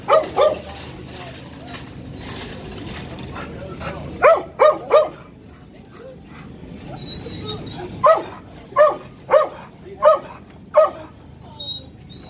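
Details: Dog described as a fake service dog, barking and lunging at a real service dog: sharp, harmonic barks, a pair at the start, a quick run of three, then five evenly spaced about every 0.7 seconds, over steady low background hum.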